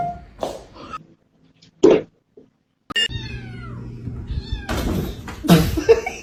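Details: Domestic cat giving a brief falling meow amid laughter, background music and people talking; sharp thumps and snorts interrupt.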